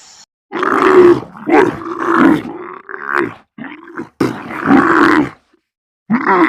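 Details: Camel giving loud, throaty, gurgling groans in several rough bursts of about a second each, broken by brief silences, with a grunting, growl-like texture throughout.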